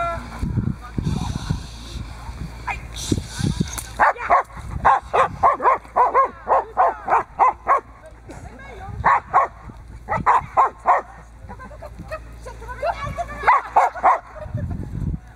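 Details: Boxer named Diesel v. Ons Hullekke, a working dog, during protection training and bite work on a table for the third time. Loud barks in rapid rhythmic bursts, about three per second, with talking and handling noise at the start and end.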